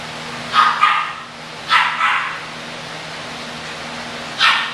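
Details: Young English Bulldog puppies, kept for sale, giving sharp, high-pitched barks, a doubled yap, another double about a second later, then a single bark after a pause, with a constant low hum behind.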